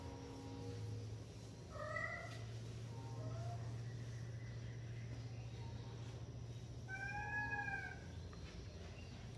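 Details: Baby cat giving two soft meows early and another brighter, arched meow near the end over a constant low background hum.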